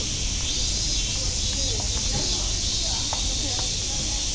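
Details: Continuous shrill cicada drone at Nogeyama Zoo, an even high-pitched hiss without pauses, with a few faint scattered sounds and some low background rumble beneath.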